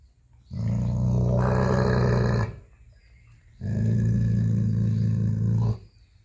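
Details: Dog growling while protecting his bone as its owner tries to take it away: two long, deep, rumbling growls of about two seconds each, separated by a short quiet pause.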